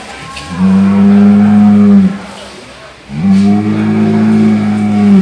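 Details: Cow, its sound called snoring, giving two long even deep calls of about one and a half and two seconds, strongly harmonic and steady in pitch, with a short silence between.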